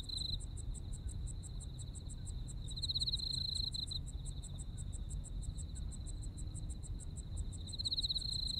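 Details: Insects calling in a Japanese autumn night chorus, one giving a rapid even series of high pulses while another adds a lower ringing trill in intermittent bursts; low-frequency rumble underneath.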